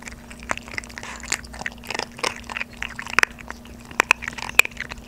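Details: Crunching and chewing of kibble by two 3.5-month-old Maltese puppies eating hard food for the first time, recorded up close in a small room. Dense rapid crackly bites overlap continuously, with a few louder snaps near the end and a low background hum.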